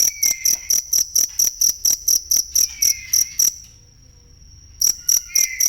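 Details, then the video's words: Cricket chirping, recorded for training songbirds: sharp, high pulsed chirps repeating about four times a second, then a pause of about a second before they resume; a faint falling whistle slides in the background. "ASLI SUARA JANGKRIK BUAT MASTERAN BURUNG"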